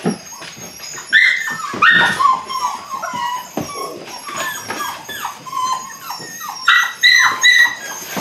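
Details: Belgian Malinois puppies, eight weeks old, in beginning bite work: bursts of strained high whimpers and yelping whines in two loud clusters, with shuffling thumps between.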